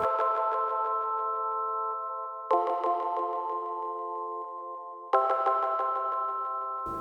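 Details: Bright chime-like synthesizer chords strike about every two and a half seconds and ring out, with no animal voice.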